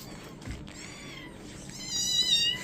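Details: Kitten at a vet in London during a check-up; thin, high-pitched mewing cries that slide up and down in pitch, growing louder near the end, over steady background noise.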